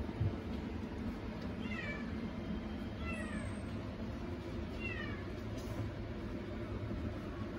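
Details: Baby-faced female Singapura cat giving three soft, thin meows, each a short bent tone spaced about one and a half seconds apart, half buried under a steady low rumbling background noise.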